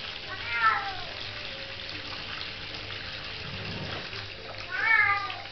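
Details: Little female Bengal cat playing with water meows twice, a falling meow at the start and a second one near the end, separated by a few seconds of steady rushing water.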